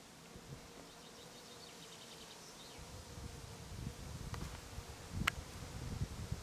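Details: Bees foraging on lavender in Brittany; a thin, faint buzzing hum persists beneath soft wind rumble that rises after a few seconds, with brief high chirps of a small bird early on and a sharp click near the end.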